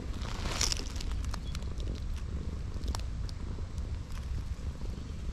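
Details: Chubby cat nicknamed a seal cat, in its winter coat in late autumn, purring while its fluffy belly is touched: a steady low rumbling throb runs throughout, with handling rustles and light scratchy noises on top.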